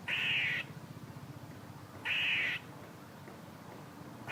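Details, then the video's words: Two hoarse, grating squirrel rasps, each about half a second long and two seconds apart, with the start of a third at the end, over a low steady hum. "A squirrel making noises"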